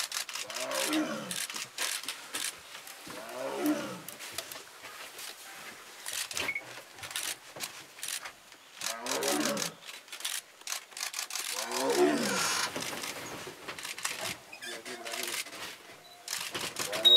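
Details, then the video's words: Wild mother tigress walking beside a crowded safari bus in the forest of Dhamankatte range, Kabini, roaring to call her cubs; four deep, groaning roars in stacked descending pulses, separated by pauses, with shaking camera rattle and faint people. "Mother Tigress roars loudly to call her cubs"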